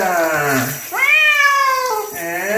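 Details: Chino, a pet bobtail cat, meows while being bathed: a long drawn meow sliding downward, then a higher, louder meow that holds steady before falling, and the start of a third.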